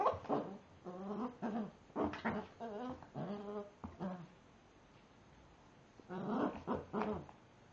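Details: Staffordshire Bull Terrier puppy named Gamico Gorman, faced with a frozen raspberry, gives whiny, harmonic whimpers and short yips with a growly edge. They come in bursts across the first four seconds, then again around six to seven seconds, indoors.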